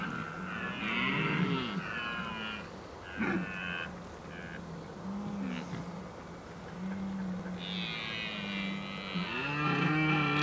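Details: Edelherten (red deer) bellowing in the October rut at the Oostvaardersplassen, 15 October 2011. Low, drawn-out groaning roars recur every couple of seconds, several stags overlapping, with a harsh, hoarse upper layer.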